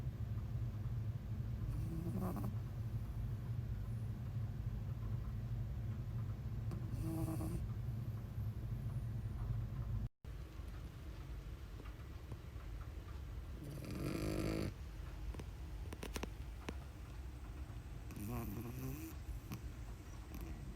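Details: Pug puppy named Uni, newly arrived at home, snoring while asleep; low rumbling breaths rise and fall in soft bursts every few seconds, with a brief cut midway and faint rustling noises.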